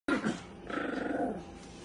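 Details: A chihuahua indoors gives a sharp yap followed by a low, rattling, pulsed growl that fades over about a second.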